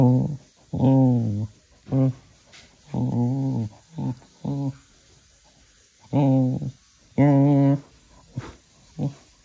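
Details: Playful growls from Manfred, a little cocker spaniel full of energy at ten in the evening; repeated low harmonic rumbles about once a second, some rising slightly in pitch, in a small indoor room.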